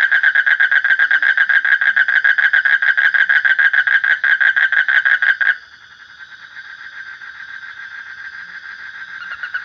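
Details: Frog calling with a fast, steady run of nasal pulses, about three or four a second, for five seconds, then breaking off into a quieter, fainter series of pulses under a steady high hum.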